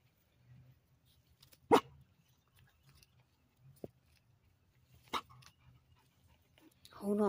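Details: Toby, a Labrador Retriever, waits on a 30-foot lead to go out into the water for a swim. One loud, sharp bark is followed by a couple of fainter short sounds in a quiet setting, and a human voice closes the recording.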